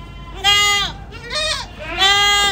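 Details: Ardi goats from a breeding herd in Kuwait giving three loud, strained bleats, each a harmonic, nasal cry lasting under half a second, the last rising slightly before trailing off, with faint background hum.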